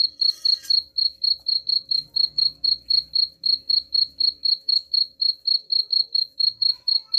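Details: Continuous cricket chirping, described as driving rats away, high and evenly pulsed at about four beats per second, with a short scratchy rustle at the very start.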